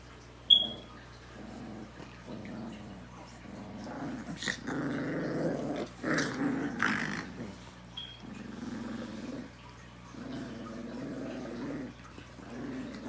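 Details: Rottweiler puppies keep up rough, grumbling growls in repeated bursts over thirteen seconds, growing louder and busier in the middle, with occasional sharp clicks and a constant low hum in a small room.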